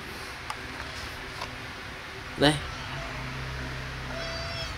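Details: Kittens playing and feeding give one short, sharp meow midway through, a quick bright burst over a steady low hum, with faint background noise before and after.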